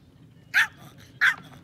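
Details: Two short, piercing barks from a pet Yorkshire Terrier that enjoys fishing, spaced about two-thirds of a second apart.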